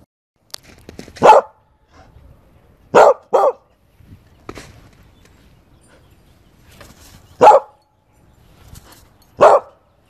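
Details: Corgi Husky mix dog named Toby, at home during trick training, giving five short sharp barks in irregular bursts, two close together, with quiet gaps and faint rustling between them.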